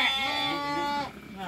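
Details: Newborn lamb, born at midnight, gives a single steady, nasal bleat lasting about one second with rich harmonics, then tails off into quieter room noise.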